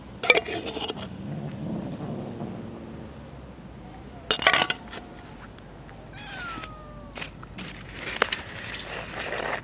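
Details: Stray cat guarding a fish head taken from the garbage while other cats gather around; one short, falling meow midway, framed by loud bursts of rustling and handling noise.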